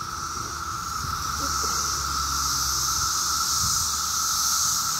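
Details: Loud 17-year cicadas swarming in a tree on a summer day in Maryland: an unbroken buzzing drone with a bright, high hiss that grows stronger, while a man speaks over the low end.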